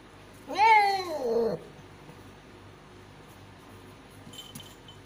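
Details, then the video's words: Mother cat giving birth to five kittens lets out one loud, wavering meow about a second long, falling in pitch at the end, followed by quiet room sound and a faint click. "cat giving birth of 5 kittens | meow bholi"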